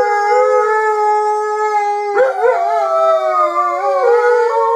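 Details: Jazzy and Ben, two Alaskan Malamutes, howl in chorus, two steady intertwined voices held throughout, with a wobbling, warbling bend partway through before the tones settle into long even notes again.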